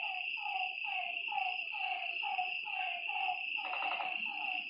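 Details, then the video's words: Nighttime lakeside frogs give rapid, falling, slightly nasal notes about twice a second, layered over a constant shrill drone, with one louder burst of clustered calls near the end. "Lakeside night creatures and frog sounds"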